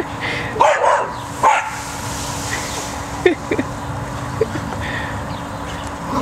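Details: Cocker spaniel Max, scared of the tunnel keeping his treats from him, lets out two sharp barks close together, then scattered small yips and squeaks over a constant low hum.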